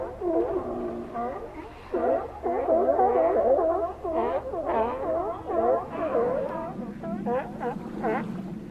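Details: Steller sea lions at Cowichan Bay, Vancouver Island, Canada, calling in a dense chorus of overlapping harmonic, bending barks and groans, several animals at once, with brief quieter gaps near two and four seconds.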